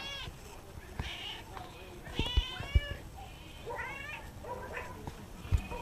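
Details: Ciccu the pet cat meows repeatedly, about six short bright calls with clear harmonics, some rising and some falling, spaced roughly a second apart. Occasional knocks and soft handling noises are heard beneath them.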